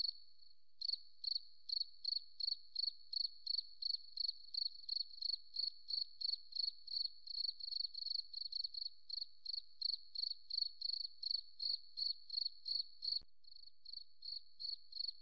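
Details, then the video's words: Forest cricket chirping continuously after a short quiet start: bright, high-pitched pulses repeated roughly three times a second with an even rhythm, a single faint click near the end. "Beautiful Cricket Sound"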